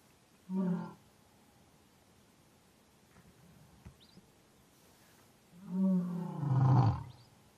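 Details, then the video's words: African lion giving deep harmonic grunting roars, one short burst near the start and a longer, louder roar ending in a low rumble later, with quiet background between. "African Lion"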